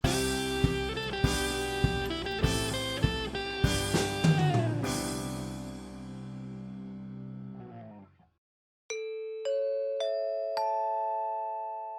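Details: Upbeat music with drums, guitar and piano chords fades out, followed by a short run of clear, ringing chime notes stepping upward.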